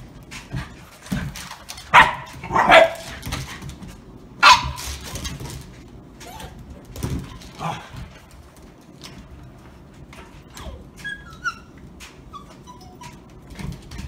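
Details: Shiba Inu playing indoors with another dog during a first play date in New Jersey; a few short sharp barks and yips in the first five seconds, then scattered softer whines and scuffling, with quiet spells between bursts.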